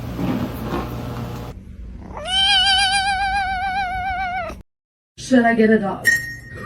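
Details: Cat from a compilation of pet clips: a long sustained wavering yowl lasting over two seconds with a steady vibrato, preceded by background chatter and followed by short choppy mewing sounds.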